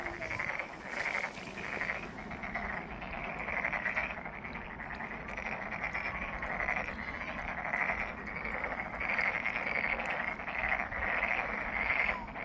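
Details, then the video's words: Many frogs croaking together at Monet's Pond, Ulsan National Garden, Korea, a continuous rattling chorus of pulsed notes swelling in repeated waves every second or two across the whole stretch, over a faint low outdoor hum. "울산 국가정원 모네의 연못 개구리 소리"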